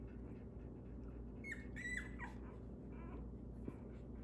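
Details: A Belgian Malinois puppy, one of Gunny & the Little Guns, lets out a couple of thin squealing whimpers that slide downward, then fainter squeaks, against a constant low background hum.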